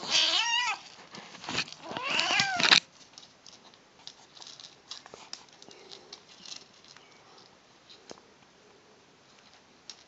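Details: Female kitten eating and vocalizing: two harsh, wavering meows in quick succession at the start, then nearly seven seconds of quiet chewing and faint crunching with no further calls.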